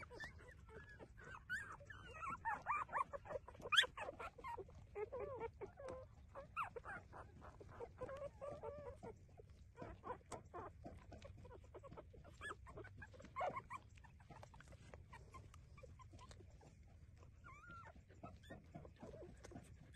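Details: Puppies suckling and whimpering while breastfeeding; soft, scattered high whines and squeaks over constant shuffling and sucking noises, louder early and fading into quieter rustling.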